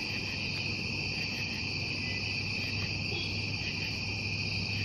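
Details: Night-time crickets keep up a continuous shrill, even trill in two high layers, never pausing, while a soft steady low drone runs underneath.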